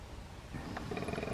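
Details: A male koala gives a deep, rasping bellow, a snoring, grunting roar; males bellow year-round, more in breeding season, to mark territory, announce presence, show dominance and call females.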